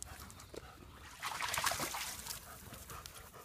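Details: Playing German Shepherd panting rapidly, a rough breathy rush strongest in the middle of the clip, with low background rumble.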